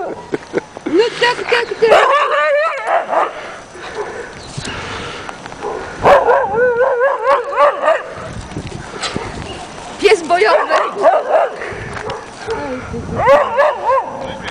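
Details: Afghan Hound Salma barks at a very playful Doberman during a walk through heavy snow and hail on 24 March 2009. Bursts of sharp, tonal barks and yips repeat in clusters every few seconds, with people talking in between.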